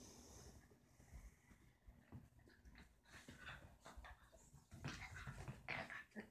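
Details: Roxie, a deer-head chihuahua, goads Reese, a Dorkie, into a game inside the house; soft scattered growls and snuffles rise into a louder cluster of rough bursts near the close.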